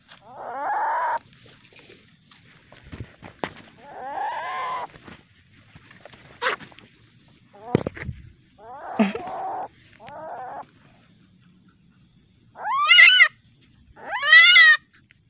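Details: Juvenile common palm civet, very aggressive at night and later released back into the wild, giving harsh harmonic squeals and growl-like bursts with sharp clicks between them, ending in two louder, higher rising-falling screams.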